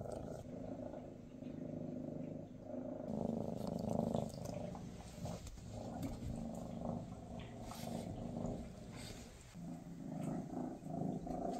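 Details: Maine Coon cats, mother Freya with her kittens on their last day together before the kittens move to new homes: a steady low rumbling purr with throbbing pulses, rising and fading in loudness, plus faint rustling.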